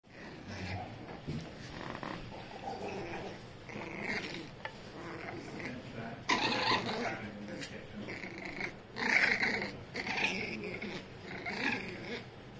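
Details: A Toy Fox Terrier gives a rough, noisy growl in uneven bursts, swelling louder around the sixth and ninth seconds and easing between, with grainy rasping texture throughout.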